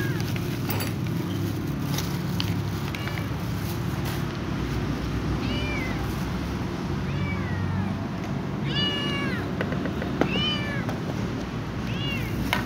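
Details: Young ginger cat meowing to be allowed to eat together, a series of short high rising-falling meows from about six seconds on, each stacked with clear overtones, over a steady low hum of background noise.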